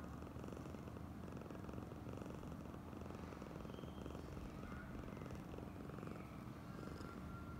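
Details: Purring from Oyen, a female house cat being extra affectionate; an even, throbbing low drone runs unbroken throughout, with a few faint higher clicks and rustles in the background.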